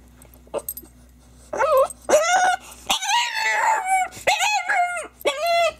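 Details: French bulldog crying: after a quiet start, a series of high, tonal whining cries, each about half a second long, wavering and bending in pitch, repeated in quick bursts through the second half.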